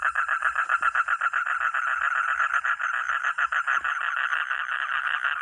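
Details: Rapid rattling frog call, nearly four pulses a second, each pulse a short nasal rasp in the middle register, running continuously with slight shifts in loudness.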